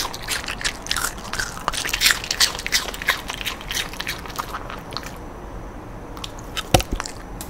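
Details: Rando the dog crunching pieces of sweet pear, a snack given twice a week, in a small room; rapid crisp bites and chewing, roughly three per second, thin out toward the end, leaving a brief quiet pause and one last crunch.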